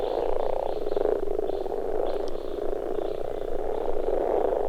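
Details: Common frogs spawning at a pond, a female finding a partner amid the breeding chorus: dense, low, purring croaks overlapping continuously from many males, with brief faint higher notes.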